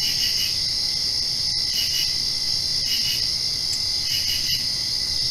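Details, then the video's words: Night chorus of crickets following rainfall, a continuous shrill trill with brighter paired chirp bursts standing out roughly every second and a half, faint hum beneath. "Crickets Chirping"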